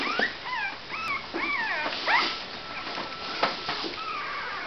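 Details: Litter of 28-day-old Cavalier King Charles Spaniel puppies whining: curved, rising-then-falling high whimpers repeated in quick succession, with a faint steady tone underneath.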